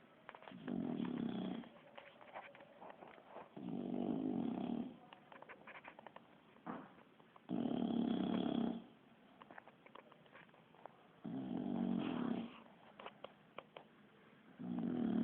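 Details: Bulldog named Kiára, asleep and snoring like a human, gives five low, rough snores spaced roughly every four seconds, the snore breaths steady and buzzing, with soft clicks between them.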